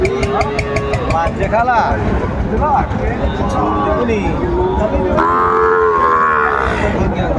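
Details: Sahiwal bull calves at a cattle market, 27 December 2024, late in the day as traders buy; scattered lowing amid talk, then a long drawn-out harmonic moo near the end.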